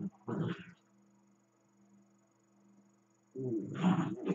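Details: Playful dachshund growling at a companion dachshund lying still; a short rough growl, then a long quiet stretch with faint hum, then a louder, longer grumbling growl at the end.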